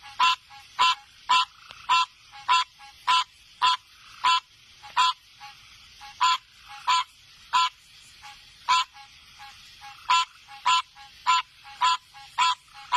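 A frog gives loud, nasal, honking notes, repeated in a steady series.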